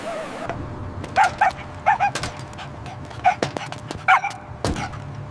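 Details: Puppies play-fighting on fresh green grass give bright, high-pitched yapping barks, often in quick pairs, mixed with sharp tapping and scuffling noises.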